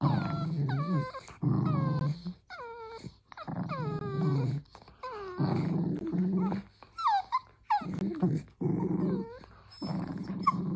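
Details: Low rumbling growls from a playful Dachshund alternate with quick falling yips and whining squeals, about ten bursts in roughly eleven seconds with brief silent gaps between them.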